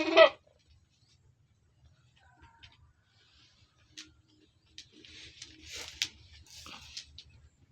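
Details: Goat kept in a pen gives a single short, loud, harsh bleat at the very start, then falls silent, leaving only faint clattering, rustling and soft knocks in the background.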